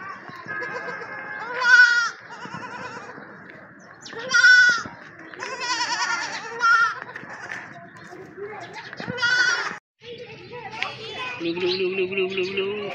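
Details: Baby goats playing with children; four loud, wavering bleats with rich harmonics rise above steady background music, spaced a few seconds apart, ending with clatter and a lower humming tone.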